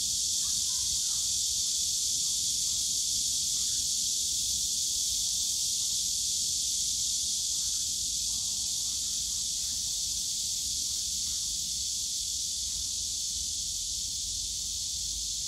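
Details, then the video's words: Summer cicada chorus from the bamboo forest at Yongsan Family Park: a constant sizzling high buzz without pause, a few faint brief mid-pitched sounds scattered over it and soft low park noise underneath. "용산가족공원 대나무숲 매미소리"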